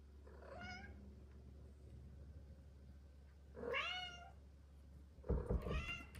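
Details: Two female Bengal cats indoors at night after a fight on a cat wheel; three harmonic meows at about 0.7, 3.7 and 5.5 seconds, the middle one rising then falling, with a low steady hum underneath.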